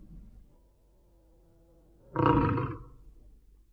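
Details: A tiger seen at night in the Palasur forest, Madhya Pradesh, gives a single short, deep, rasping roar that breaks out of quiet night air.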